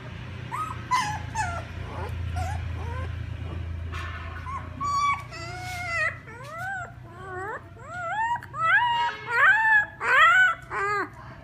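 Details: Crying puppies calling their mother, sparse squeaks at first, then a run of rising, bent whines growing louder and more frequent toward the end, with a low rumble beneath.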